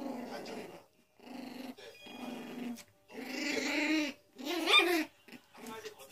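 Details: Growls from a Pomeranian and a poodle squaring off, gruff snarling phrases building to a louder, higher snarl near the end, mixed with people speaking nearby.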